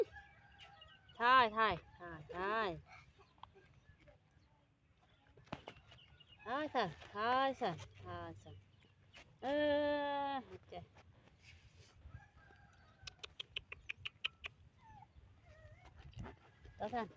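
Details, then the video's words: Keery, a monkey eating a watermelon, gives loud harmonic yells in short wavering bursts, some in quick pairs, then one longer steady cry midway, with a person talking in Vietnamese and light rustling between calls. "Keery eats a watermelon and yells to stop eating."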